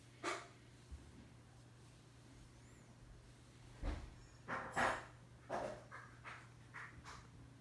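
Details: Pet Bichon Frise Bori, a four-year-old female, playing indoors and dodging teasing, lets out a single soft yelp, then a run of short grumbling bark-like bursts roughly once a second in the second half, with light breathing and room hum.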